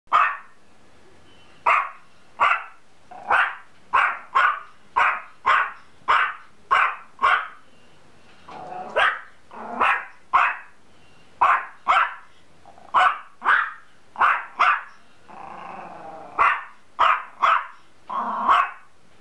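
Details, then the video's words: Dog barking in a steady series of short, sharp barks, roughly one per second with brief pauses, about twenty barks in total against a quiet background. "Dog barks"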